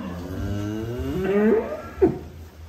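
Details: Large cattle being unloaded from a truck at Bintang Tani Farm; one drawn-out low moo rises slightly and fades, followed by a brief grunt, with a steady background hum.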